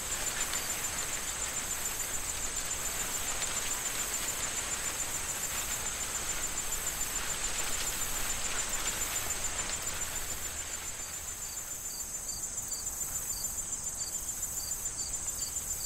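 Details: Crickets in an autumn corn field shortly before harvest: a thin, very high, unbroken trill runs throughout, joined after eleven seconds by a second caller giving evenly spaced pulsed chirps, beneath rustling corn stalks and gusting wind.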